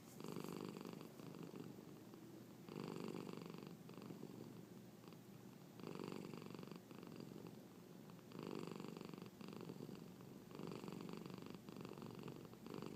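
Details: Close, rhythmic purring of Marnie the cat during a hiccup spell; a low vibrating rumble rises into louder pulses roughly every two to three seconds and then drops back.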